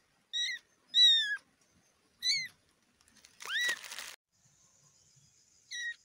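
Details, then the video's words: Young kitten giving high, thin mews in short separate bursts, one sharper rising squeak mixed with a brief rustling noise midway, then a final short mew after a pause. "Baby cat meowing"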